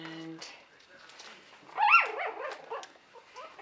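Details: From Buttercup's 2015 litter, a three-week-old puppy whimpers in a cluster of squeaky arched cries after a person's voice, then softer whines trail off over quiet indoor background.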